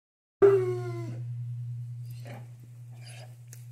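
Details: Great Pyrenees dog giving a single drawn-out, wavering vocal note lasting under a second, followed by faint rustling and a steady low hum throughout.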